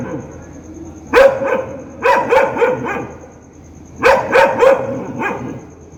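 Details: Angry dog barking loudly: rapid bursts of sharp barks, one single bark then a run of four and later three more in quick succession, over low steady hum and a faint high tone.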